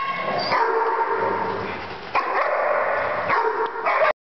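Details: Dogs howling as a group after one starts: overlapping drawn-out howls with a few sharper yips and whines at intervals, ending abruptly.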